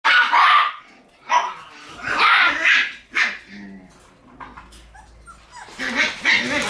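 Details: Shiba Inu puppies in their puppy room on October 6, giving short, sharp, yappy barks in bursts near the start, middle and end, with quieter gaps between them indoors.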